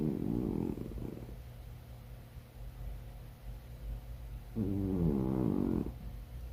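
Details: Snoring cat, heard as two drawn-out, wavering, buzzy breaths over a second long each, separated by about three seconds of soft breathing noise, over a faint constant low hum.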